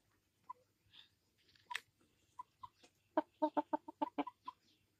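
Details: Gamecock on 22 January 2022. Scattered soft clucks build into a fast, tight series of sharp, pulsed clucks near the end, several per second.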